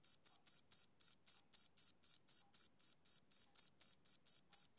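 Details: Rapid chirps of a male cricket, roughly four bright, shrill pulses per second in a steady unbroken run against a silent background.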